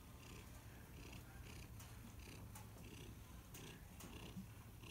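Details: Domestic cat purring steadily: a continuous low, rumbling vibration with soft rhythmic breathing swells about every three-quarters of a second, over a faint background hiss.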